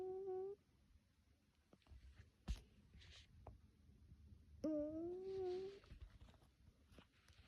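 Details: Pet cat snoring, not the snore its owner expected: two tonal, whine-like notes with clear harmonics, a short one at the start and a longer, gently rising one midway, with quiet pauses and a sharp tap between.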